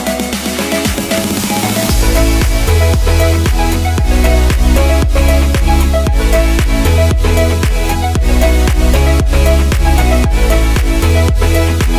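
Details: Loud electronic dance music with a steady thumping beat and synth chords, after a brief rising intro, with no animal sound audible.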